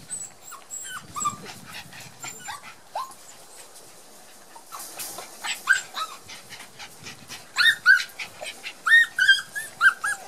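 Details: Border Collie puppies on their first outing into the garden after their first vaccination, shy and barely moving: high, thin whimpers and squeaky yips in quick, irregular bursts, louder toward the end.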